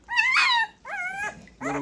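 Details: Great Pyrenees puppies two weeks old at their first bath: three drawn-out whining cries, the first long and wavering, the second flatter, the third cut short.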